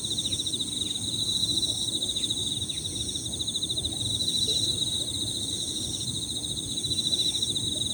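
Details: Several Emma field crickets overlapping in high-pitched, rippling pirririri trills, a steady pulsed band over higher insect tones, with faint small-bird notes, natural outdoor ambience and low rumbling background.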